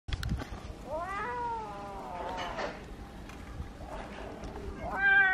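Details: Kitten meowing when it wants to tell something: a rising-then-falling harmonic meow near the start, then a shorter, higher meow at the end, with a soft background hum.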